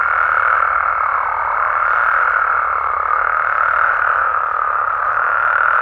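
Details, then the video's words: Frogs and toads of Mexico chorusing at night, their overlapping croaks merging into a dense, unbroken mid-pitched murmur that rises and falls slightly in intensity. "Mexican Frogs & Toads Sounds"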